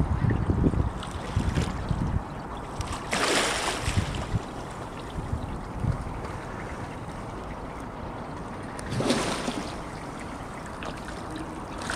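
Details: Splashing water and waves with wind noise on the microphone, with two louder splashes, and no animal calls.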